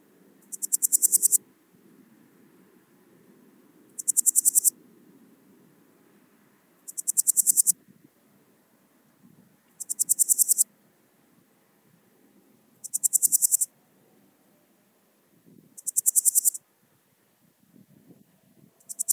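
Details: Swiss gold grasshopper (Podismopsis keisti) at Wildhaus, Switzerland, 7 October 2022: short bursts of rapid, hissing pulses, each about a second long, repeated roughly every three seconds, over faint low background noise.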